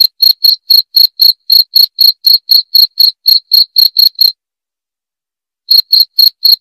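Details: Cricket heard in a loud, clear recording meant to scare off rats. Rapid shrill chirps come about four per second, stop for roughly a second and a half of silence, then resume briefly.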